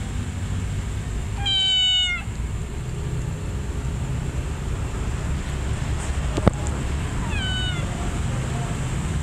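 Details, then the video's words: Cat calling to draw in other felines: one loud, bright meow with a stack of harmonics, a sharp click, then a fainter, shorter meow, against constant low background rumble. "Cat meows to draw in other felines"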